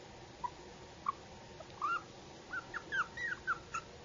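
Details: Yorkshire Terrier puppy giving soft, high-pitched whimpers and squeaks, about ten short yips over four seconds that come closer together toward the end, over a steady low background hiss.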